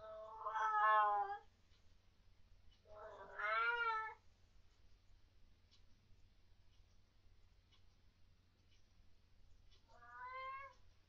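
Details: Pet cat indoors at night, vocal in reaction to unseen things, giving three drawn-out harmonic meows, first and second about two seconds apart, a third after a long quiet pause; low steady hum underneath.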